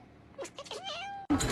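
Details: Domestic cat in a funny compilation producing one drawn-out meow that bends down and then levels off, followed by a sudden loud thump.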